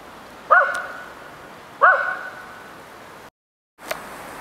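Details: Tibetan Terrier named Atticus playing in snow at Abetone, Italy, 10 March 2012: two sharp barks about 1.3 seconds apart, each ringing briefly afterward, followed by a gap and a faint click.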